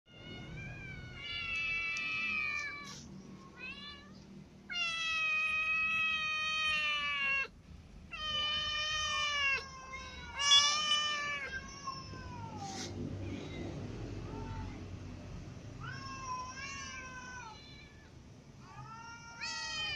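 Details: Domestic cats, a ginger cat clawed by a new white cat while eating: long drawn-out harmonic meows and yowls, some bending downward, come in separate bursts of a few seconds with short gaps, over a low background rumble.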